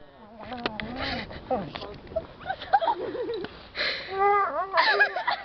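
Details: Female dog straining to pick up a stick twice her size, making squeaky, wavering whines and warbling groans that rise and fall, with rustling and handling noise.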